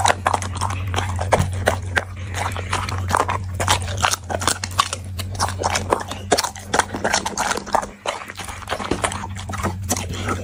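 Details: Dog eating, busy crunching and gnawing with quick irregular clicks through most of the stretch, a short quieter pause near the end, and a low steady hum throughout.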